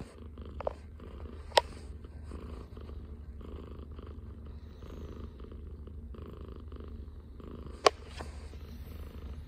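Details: Morning purr of a Scottish Fold cat resting on its owner's arm: a soft, low continuous rumble broken by two sharp clicks, indoors and close by.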